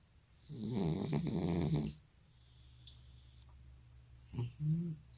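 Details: An old male cat with sleep apnea snores in his sleep: one long, throaty, buzzing snore of about one and a half seconds, then a hush and a short, softer snort near the end.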